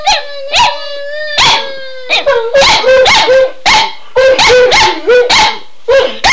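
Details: Shelby and Shiloh, pet dogs reacting to "Run Guy run", let out a long, steady howl that slowly sinks in pitch, then switch to a rapid run of short yelping barks, roughly two each second.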